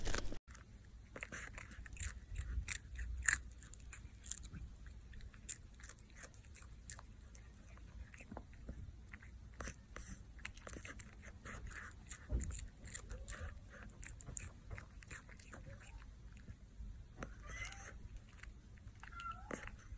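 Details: Cat mukbang indoors: steady biting and crunching, short sharp clicks and chews scattered through twenty seconds, a few louder bites standing out above a faint low hum.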